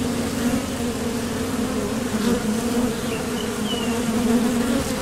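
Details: Honeybees flying in and out of a Top Bar Hive entrance during nectar foraging make an even, droning buzz with a rich overtone band, steady for the whole stretch, with a few faint bird chirps above it.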